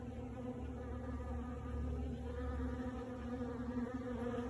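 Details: A steady, low droning buzz of hundreds of honey bees at a sawmill on a warming day, visiting cedar and maple sawdust to rid themselves of mites and ignoring nearby workers.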